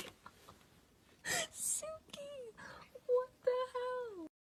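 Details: Domestic cat indoors giving a few tonal meows, the last a long drawn-out call that falls in pitch, mixed with short bursts of noise and a voice in a small room.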